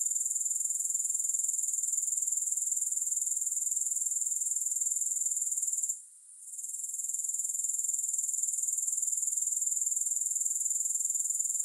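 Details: Shrill, even grasshopper buzzing held high in pitch, ticking at about four pulses per second, interrupted by one brief dip near six seconds, then steady again; no music present.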